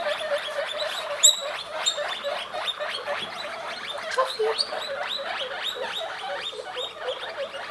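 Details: A group of young guinea pigs calls loudly, dense overlapping high wheeks and squeals tumbling over one another several times a second, bright and piercing throughout.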